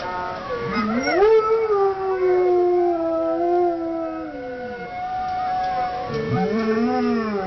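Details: Dog howling: long sustained tonal howls with rich harmonics, rising sharply near the start, holding a wavering pitch for several seconds, then falling; a second howl begins rising near the end.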